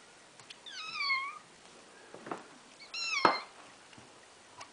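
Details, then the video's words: Little Boy, a sick pet cat kept caged indoors on special food, meowing for his dinner: two drawn-out wavering meows a second or so apart, the first falling in pitch, with faint clicks in a quiet room. "Kitty Wants his dinner."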